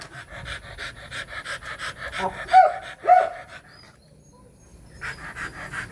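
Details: Rottweiler panting during mating: quick, evenly spaced breathy puffs, nearly two per second. Two brief high whines break through midway, then a short pause before the panting resumes.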